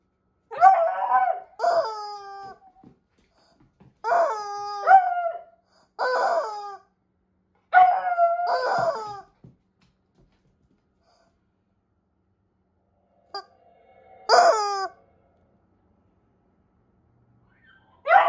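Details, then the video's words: Beagle puppy named Buddy reacting to a screaming rubber chicken toy, giving a series of short rising-and-falling yowling howls in bursts, several in quick succession, then a pause and a final wail, in a small quiet room. "My beagle puppy Buddy reacts to a screaming rubber chicken!"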